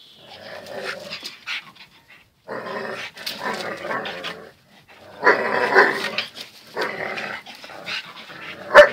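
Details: Two dogs, Zion and Tyson, locked in their daily fierce fight: rough, throaty growls and snarling barks come in bursts of one to two seconds, separated by short silent gaps, louder toward the end.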